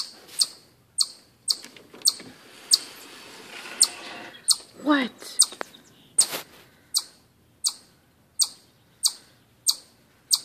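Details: Chipmunk giving a series of high, sharp chirps at a steady pace of roughly one every half second. Midway, a lower wavering, voice-like sound briefly overlaps, then the crisp chips continue alone.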